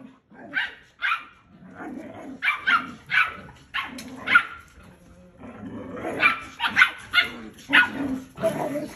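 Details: A male Belgian Malinois pup fights back as its mother and father try to discipline it. Short, high, yappy barks mix with rough growling scuffle sounds, coming in bursts about every half second with brief pauses between.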